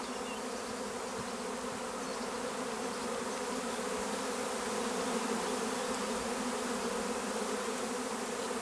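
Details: Honeybee swarm at Longué-Jumelles, France: a dense, steady droning hum of many bees, unbroken and even in loudness throughout, with no other clear sounds.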